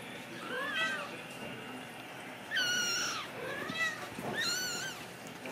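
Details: Ragdoll kittens born and raised in a home cattery in central Kansas, uncaged; four clear high meows about a second apart, each sliding up then down, the second one louder, over a quiet indoor background.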